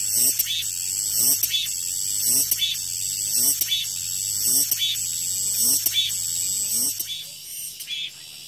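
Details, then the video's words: A high, sizzling cicada chorus swells in rhythmic bursts roughly every second, then eases near the end; a faint low hum sits beneath. "REAL SOUND 매미소리"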